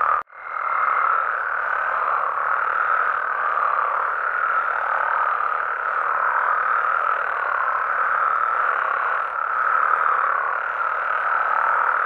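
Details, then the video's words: After a brief instant of silence, a night chorus of Mexican frogs and toads starts abruptly and runs on, dense and continuous, with a faint high tone in the first second and gentle swells in loudness. "Mexican Frogs & Toads Sounds"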